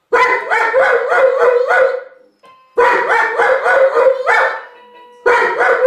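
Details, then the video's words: Giant schnauzer howling in a 'musical' manner; two long wavering bouts of about two seconds each, pulsing up and down in quick rises, separated by a short pause, with a third bout starting at the end. "Musikalischer Riesenschnauzer"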